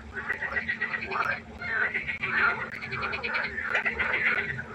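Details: Frog chorus at night by a pond: many overlapping pulsed, rattling croaks with no break, a steady low hum running underneath throughout.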